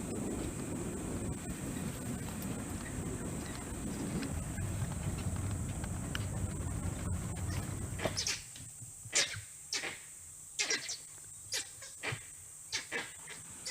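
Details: In Bar Nawapara Wildlife Sanctuary's teak and sal forest, Chhattisgarh, India, langurs in trees give sharp, harsh alarm barks in short irregular bursts after low engine rumble, warning of unseen danger, possibly a leopard or wild dogs.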